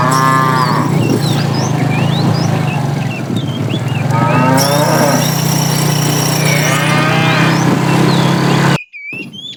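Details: Tame cows herded toward green grassy fields in the morning, several overlapping drawn-out moos across the clip over a steady low hum, with birds chirping throughout before the sound cuts off abruptly near the end.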